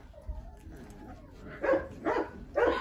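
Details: A litter of eleven hungry Rottweiler puppies, dewormed together, begging noisily for food. Faint whines and background noise give way to three loud, sharp squealing yelps near the end.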